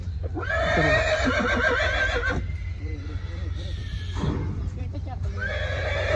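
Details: Nukra horse whinnying just after being unloaded from a truck at the Muktsar Sahib fair: a loud, shrill neigh that falls and quavers for about two seconds, then a second fainter call, over constant low engine hum and people talking.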